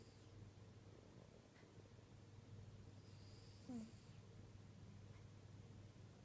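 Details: Tabby cat, one of two kept as pets, purring quietly: a soft, steady low rumble running unbroken through the clip, with a brief faint squeak near the middle and light background hiss.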